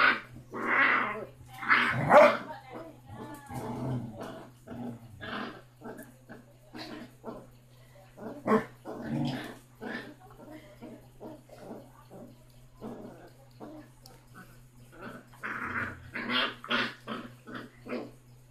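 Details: Basset hound puppy six weeks old, littlest yet toughest of five siblings, taking on its brother and mother; scattered harsh growls and short barks in bursts, mixed with voices and pauses of quiet.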